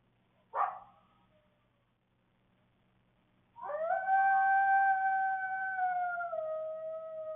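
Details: Coyote in the evening in Waukesha County, Wisconsin, caught on a security camera: one sharp bark, a pause, then a long steady howl that drops slightly in pitch near the end, over faint low hum.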